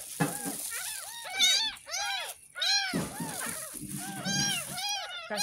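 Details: Ten-day-old kitten, rescued from a gutter in front of a house, getting its first bath: a rapid series of high, arched mewing cries, about one every second, over splashing handling noise, faint talk and background music.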